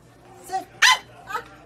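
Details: Pomeranian puppies barking on command after a spoken sit instruction; one loud, sharp bark in the middle, with softer vocal sounds before and after it.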